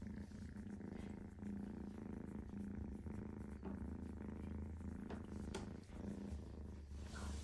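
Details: Kitten purring: a soft, steady, low rumbling purr running throughout with a regular pulsing rhythm, faint clicks and rustles at times.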